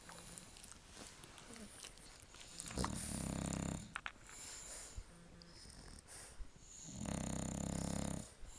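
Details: Loud snoring from sleeping dogs, possibly a bulldog; two drawn-out rasping low snores near three and seven seconds, quieter wheezy breaths between them, light indoor hiss.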